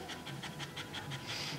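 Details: Rosie, a red Staffordshire Bull Terrier bitch in labour with her first litter, pants in her whelping pen: quick, breathy huffs repeated about six times a second, steady and even throughout.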